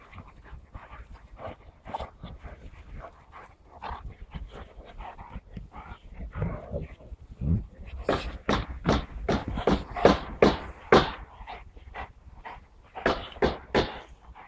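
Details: Saint Bernard dog breathing in rapid, breathy pulsed bursts, roughly two to three per second, quieter and uneven at first, then louder and sharper from the eighth second onward.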